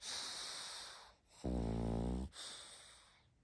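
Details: Sleeping pug puppy snoring indoors: a long hissing breath, then a loud, low, buzzy rattling snore lasting almost a second, followed by another airy breath.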